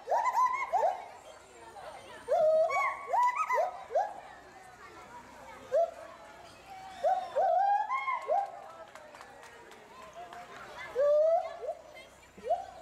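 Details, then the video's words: Agile gibbons Samuel and Duana, a pair housed at Bristol Zoo Gardens in Bristol, UK, agitated over something glimpsed in the bulrushes. Clusters of swooping, rising hoots alternate with quieter gaps, with faint background murmur between bursts. "GARRULOUS GIBBONS ~ Agile Gibbons (Hylobates agilis)"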